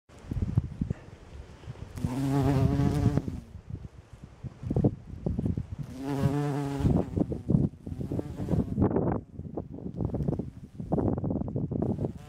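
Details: A bumblebee collecting nectar from flowering rape passes twice with a low, droning wing buzz that swells and fades.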